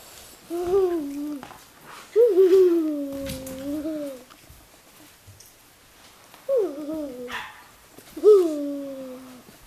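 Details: Miniature Australian Shepherd puppies giving drawn-out, tonal whines, four separate cries that rise sharply then sag and level off, each lasting one to two seconds, in a quiet indoor space.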